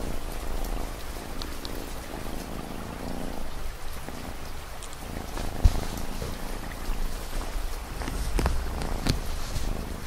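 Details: Domestic cat purring, mixed with steady ambient rain for relaxation and long study nights; a soft low rumbling drone under the hiss of falling rain, with occasional sharp drip clicks.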